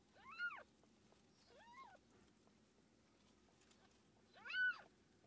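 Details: Three high, arching meows with a long silent gap before the last and loudest, recorded as the domestic cat Tússa-Gatússa gave birth to seven kittens in a quiet indoor setting.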